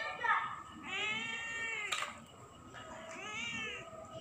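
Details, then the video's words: A cat meowing at night, giving two long, wavering meows with a short sharp click between them, over a faint steady high whine. "malem malem didatengin kucing yang terus mengeong"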